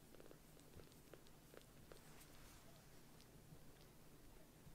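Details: Rescued foster kitten Sokkun, with white 'socks' on all four paws, purring while snuggling on a caregiver's lap indoors after earlier sulking; a soft, steady low rumble runs throughout with faint clicks and rustling.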